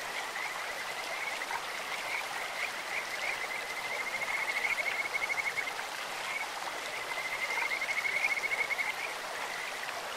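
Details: Bird-like voices of Kajika frogs rise from a clear stream, with short trilled bursts early on, then two longer, louder runs of rapid whistled pulses, while water rushes steadily underneath.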